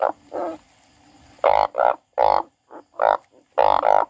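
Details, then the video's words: Frog producing loud, rasping croaks in uneven clusters, some paired close together, after a quieter opening with a soft drawn-out sound. "The frog crying"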